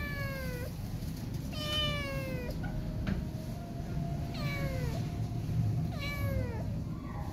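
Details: Scared kitten left behind by its mother cat, refusing to be touched; four drawn-out descending meows with rich harmonics, spaced a second or two apart, over steady low background rumble.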